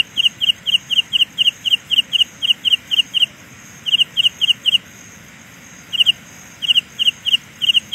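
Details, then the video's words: High, sharp chirps of a Carolina ground cricket in a sound illusion, fast runs interrupted by a long gap midway, then resuming in scattered groups, with a faint shrill band higher up. "Sound illusion by Carolina Ground Cricket."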